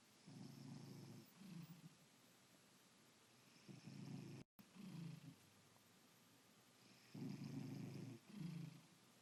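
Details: Cat snoring while asleep one Saturday morning, deep buzzing rumbles in pairs of bursts, a longer breath followed by a shorter one, repeating every few seconds against a hushed indoor background.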